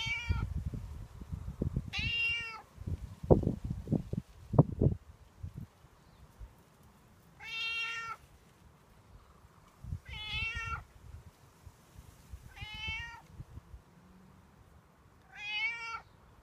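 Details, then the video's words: Outdoor stray cat begging for milk and food, as he does every morning and evening: six insistent, nasal meows repeated about every two to three seconds, with thumps and handling knocks in between. "Cat asking for milk / food"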